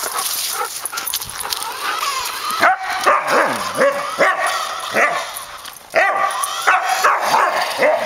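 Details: Pet Samoyed named Suka barks while chasing a remote-controlled car for exercise. Repeated arching, harmonic barks and yips come in quick irregular bursts over a continuous high-pitched motor whine.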